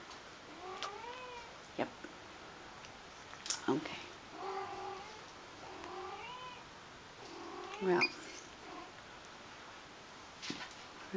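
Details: Shaded golden Persian kitten, playing among a group of seven littermates, giving its small 'roar': short meow-like calls that rise then fall, repeated several times with pauses of a few seconds, while people talk nearby.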